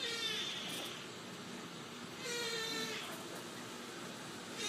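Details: Female brown tabby Scottish Fold kitten born 21 August 2018, at a pet shop, giving two drawn-out, tonal mews about a second and a half apart, the first longer, over a steady background hiss.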